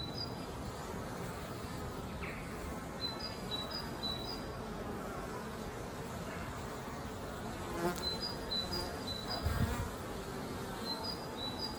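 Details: Steady droning hum of many honey bees flying back to their hive carrying pollen on their legs, with short thin bird whistles repeated in the distance and a couple of brief knocks.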